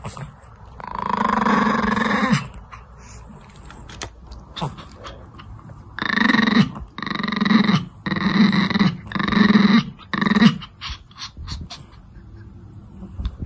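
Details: Pomeranian worried about a companion dog with a broken bone, who finds the attention annoying; a low, rumbling growl, then a run of short, rough growling bursts.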